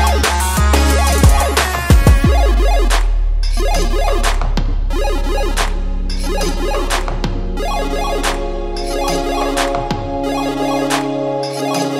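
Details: Loud electronic dance track with heavy sub-bass, wobbling synth lines and pounding drum hits throughout; no animal sound can be picked out.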